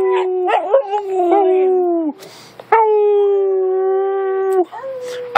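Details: A Siberian Husky, encouraged by its owner to make noise, gives drawn-out, tonal howls that waver at first, then hold steady and slowly fall.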